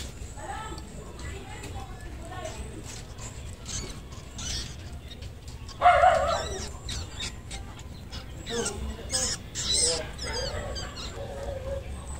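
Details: Newly born domestic rabbit kitten screaming at a rabbitry during its litter's birth: one sharp, loud squeal near the middle, then a few fainter, higher squeaky cries, over a low steady background hum.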